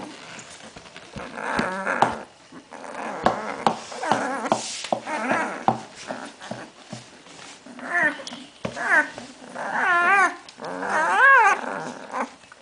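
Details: Hungarian Vizsla puppies of the de la Betoule litter, born 8 May 2012 to dam Diam's and sire Csarko, filmed 21 May 2012; wavering, warbling growls and whiny squeals overlap in bursts, rising toward the end, with soft knocks between.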